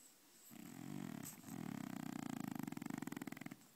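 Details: Sleeping French Bulldog snoring while dreaming indoors; one long, low rattling snore that starts smooth and breaks into a rapid fluttering buzz toward its end.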